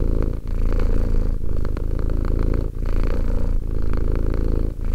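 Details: Two-year-old cat Romek purring close up: a dense, low vibrating drone in long stretches separated by brief breathing gaps about every 1.3 seconds, with no background noise.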